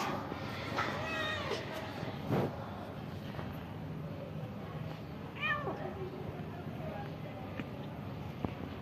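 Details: Homeless cat at the front of a house asking for food: two drawn-out, mid-pitched meows, one near the start and one about five seconds later, over a low steady background rumble.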